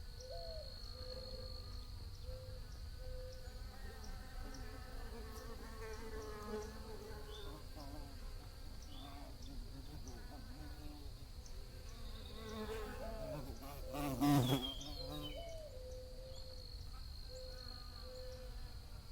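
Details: Bees buzzing, their low droning hum rising and falling in pitch as individuals fly past, over a steady high-pitched whine in the background, with a brief sharp knock partway through.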